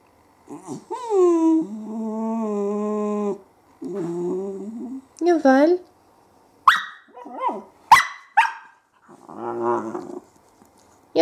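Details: Twenty-week-old female whippet puppy 'talking': long wavering howl-whines in several drawn-out phrases, followed by short yips and a rough growly grumble, with a person's voice around the calls.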